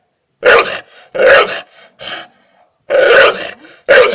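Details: Barking of a pit bull directed at a person: gruff, guttural barks, two close together, a softer one, then two more loud barks.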